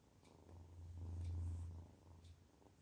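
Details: Contented kitten purring: a steady low rumble that grows louder in the middle and fades toward the end. A constant low hum sits underneath, and faint clicks are heard.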